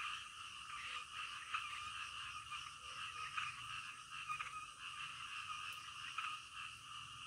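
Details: Nocturnal frog chorus: a thick, raspy wall of croaking from many frogs, pulsing irregularly, with a few sharp louder clicks standing out now and then.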